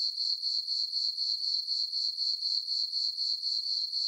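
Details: Crickets on a summer night in a farm meadow beneath the full moon, sending out a sharp high trill pulsed rapidly and evenly, around four beats each second, with no competing sound.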